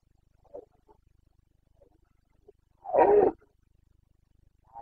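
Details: Carpathian red deer stag during the Bucovina rut, breeding season 2022: one strong guttural roar of about half a second stands out, with faint distant grunts before it and another roar starting at the end.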